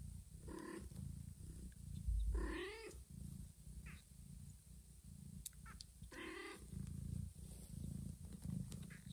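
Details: Domestic mother cat with two newborn kittens, carrying a kitten to a hidden place. Three wavering meows with rich harmonics: a short one, then a longer rising-and-falling cry of about half a second, then another short one, over low rumbling background noise.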